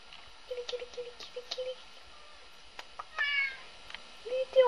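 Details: Three-year-old red point Siamese cat Binx, bored indoors, gives a bright harmonic meow midway and a rising meow at the end, with soft low voice-like sounds and clicks earlier.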